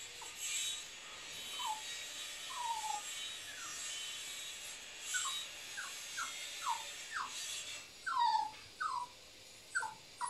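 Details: Young Cavapoo puppy, nine weeks old, giving scattered high, falling whines and squeaks, singly and in quick pairs, more frequent toward the end, with soft hissy background noise.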